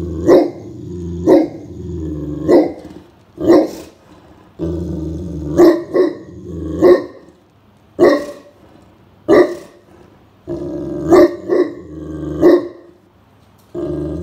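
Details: Great Pyrenees named Blanche, a very large dog, on guard while napping in a cool room on a midsummer afternoon above 30°C as a stranger nears the property: deep barks in clusters, with rough growling stretches between them.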